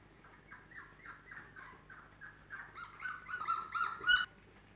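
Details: Labrador Retriever puppies, 28 days old, giving a run of short high whimpers and squeaks, several overlapping, rising to louder, shriller yelps near the end.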